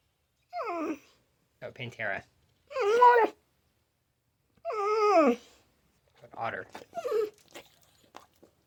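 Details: Indoor reply from talking dog Mishka Ballou: wavering, whiny harmonic vocalizations that rise and fall, broken into uneven bursts, interspersed with human speech.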